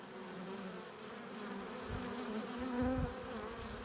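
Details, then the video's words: Many honey bees buzz at the hive entrance as foragers come in with pollen and nectar; a constant low hum, with one louder bee sweeping close by near the end in a brief rising drone. "15 minutes of bee hive entrance! Relaxing sounds! Buzzing sound efects"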